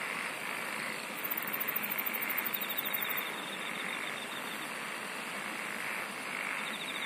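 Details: Singing insects forming a constant droning chorus; a very high, rapidly pulsed trill starts after a second, lasts about two seconds, then stops while the buzzy background continues.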